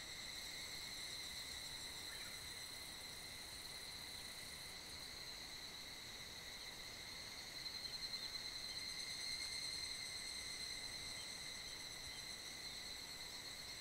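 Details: Evening chorus of higurashi cicadas resounding through a valley in the Kanmuri mountain foothills of Funo in mid-July: continuous high metallic ringing, many insects blending, swelling slightly louder in the second half.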